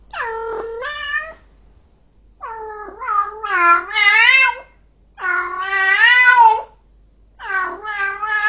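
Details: An angry cat gives four loud, long, wailing yowls, each one to two seconds, with a warbling, bending pitch and short silences between them.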